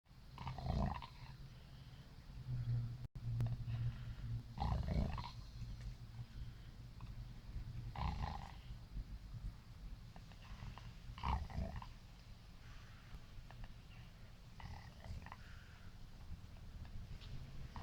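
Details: Siberian Husky pup lying in his kennel after being brushed, snoring and snorting: deep rough breaths and loud snorts bursting out every few seconds over a low steady rumble.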